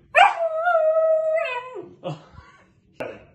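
A Samoyed puppy gives a thin, steady howl that drops off at the end, followed by two short yelps.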